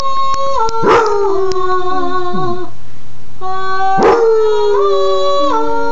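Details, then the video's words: Sport, a Basset Hound, howls along while his owner's mom sings to teach him; two long wavering howls, each opening with a sharp yelp then sliding slowly downward, over steady human sung notes. "Sport the singing basset hound"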